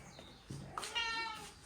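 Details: Pedigree Sacred Birman cat in a cattery; a short, clear, harmonic meow of under a second follows soft thumps and movement noise indoors.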